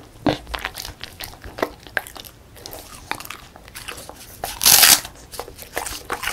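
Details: Beagle Song Mung-i, a female dog, munches a crispy puffed rice snack in a small room, giving scattered sharp crunches and one loud crackling burst toward the end.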